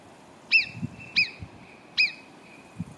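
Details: Three sharp, clear whistles, each with a fast falling slur, from marmots below Arpisson near Cogne. Faint low thumps sound in the background.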